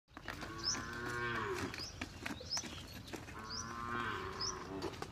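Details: Desi cow being cleaned: two long, drawn-out moos with rich harmonics, each lasting over a second, about three seconds apart. Short high chirps repeat above them, with clatter and handling noise in the background.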